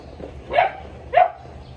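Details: Sheeba, a Boerboel, barks twice in quick succession near the chickens, short deep bursts about half a second apart over faint background noise.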